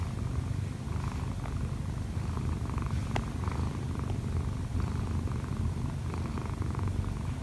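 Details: Kkobugi, a one-year-four-month-old odd-eyed Munchkin cat, kneads on its owner lying in bed. Steady low rumbling purr runs throughout, with soft faint rustling above it.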